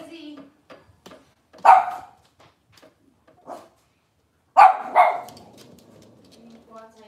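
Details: Cavalier King Charles Spaniel at a breeder's kitchen, indoors on a cloudy Monday morning; two loud, sharp barks, one near the start and a double burst later, with people talking quietly between them.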